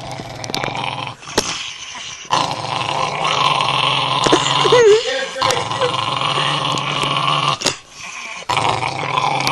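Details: A female dog growling while protecting her bone as a person tries to take it, indoors; a continuous rough, buzzy growl with harmonic bands, broken by short pauses and a brief higher whine near the middle, with a person talking over it.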